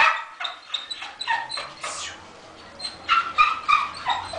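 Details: Masseter Alanis, a female Bull Terrier, being walked on a leash outdoors between sun and shade: a quick run of high, sharp yips and short barks, some whiny, in two bursts separated by a brief pause.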